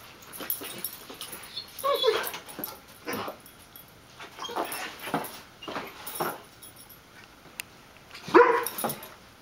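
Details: Three dogs playing together, a terrier mix, a golden retriever and a chocolate lab-weimaraner mix. Short scattered yips and rough growly bursts come every second or two, with two sharper yelps standing out.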